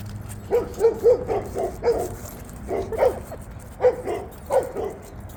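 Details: Red Labrador Retriever female excited while playing with a ball on a large ice field at a dog park on a cold day; quick bursts of short yappy barks, roughly four per second, in uneven clusters.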